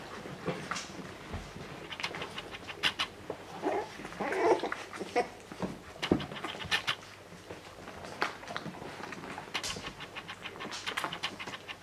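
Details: English Springer Spaniel puppies with their mother, Tango, pant and snuffle, with brief soft whimpers and squeaks.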